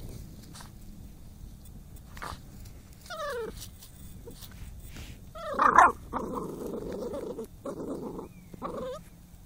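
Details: Spyke, a dog out hunting moles, gives thin descending whimpers that rise in pitch, then a run of rough, breathy growling huffs, with short whines in between against a quiet outdoor background.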